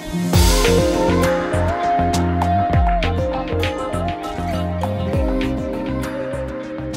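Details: Upbeat instrumental music fills the whole passage, with a repeating low bass line and sharp percussive hits. No frog, toad or other animal voice stands out above the music.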